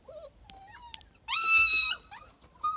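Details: Siberian Husky puppies indoors in Lahore, Pakistan: a loud, drawn-out whining cry with a steady tone, slightly falling at the end, after a few softer short squeaks and sharp clicks.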